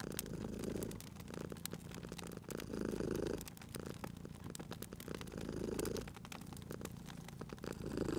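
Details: A cat purrs beside a crackling fireplace; soft low rumbling bursts rise and fall about every one and a half seconds beneath frequent sharp pops and snaps of the fire.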